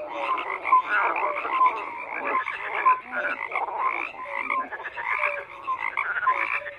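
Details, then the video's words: Frogs croaking in a dense chorus, many overlapping rasping croaks and short pulsed calls layered together, with brief tonal whistle-like notes scattered through; no other clear sounds beyond the steady calling. "FROGS CROAKING"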